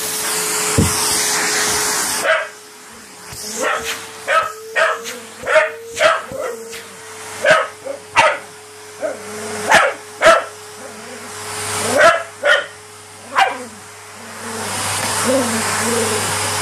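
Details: Patterdale Terrier during fetch play; after an opening burst of hissing machine noise, a run of sharp, evenly spaced barks follows, with quieter gaps and a steady background hum throughout.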